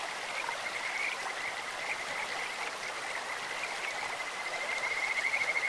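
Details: Kajika frogs calling in a clear stream, their bird- or insect-like voice forming a steady, high-pitched pulsing trill throughout, over a constant hiss of rushing water.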